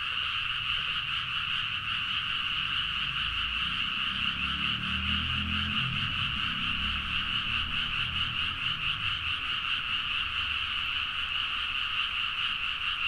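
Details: Frogs calling en masse at midnight in paddy fields near Nagaoka, Niigata, Japan, captured with a Zoom H4n. Steady, buzzing, rapidly pulsing croaks overlap without pause, and a low rumble swells faintly in the middle.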